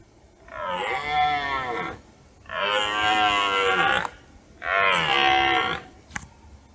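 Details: Red deer stag roaring during the rut in forest at dusk, observed by a hunter who did not shoot it; three long, hoarse, harmonic-rich bellows, each about one and a half seconds, separated by short pauses.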